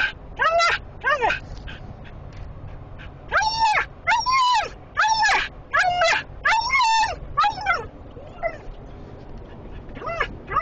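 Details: A Siberian Husky gives loud, arching whines and yelps, rising then falling, in quick excited bursts, in a small enclosed vehicle following a trailer of sheep, the smell triggering her high prey drive.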